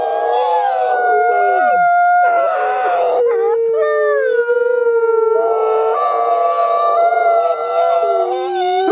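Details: Group howling by captive-born gray wolves at a wolf conservation center in South Salem, New York, described as song that reaffirms social bonds; layered sustained tones, one voice sliding sharply downward early on, others holding steady wavering notes.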